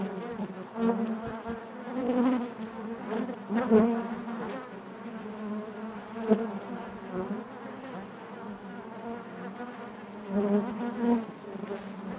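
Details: Hive interior full of honey bees: continuous low buzzing with layered harmonics, rising and falling in waves, with several sharper close passes standing out around the middle and near the end.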